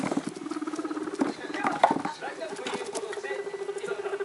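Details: Excited young pet guinea pigs in a home, three animals aged about one month to six weeks: rapid pulsed 'rururu' rumbling, loud and rhythmic, with a brief sharper squeak near the middle and faint television noise behind.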